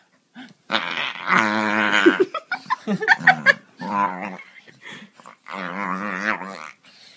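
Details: Playful male Staffordshire Bull Terrier having his belly rubbed, producing a run of throaty, wavering growl-moans broken by short choppy grunts and snorts, then a sustained grumbling moan near the end.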